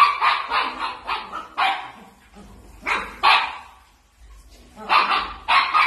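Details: Playful miniature dachshund barking in clusters, several sharp yaps in a row, a pause with soft low sounds, then more bursts of barks.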